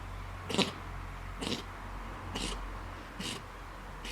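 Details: Fox sneezing repeatedly: five short, sharp, breathy bursts about one second apart, each a quick explosive puff, over a steady low hum.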